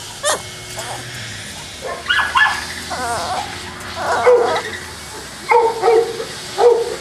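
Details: Boston Terrier at a kennel in Jamundí, Cali, Colombia: a sharp opening yap, then scattered barks and short yips, with a few pitched, whiny barks in the final seconds.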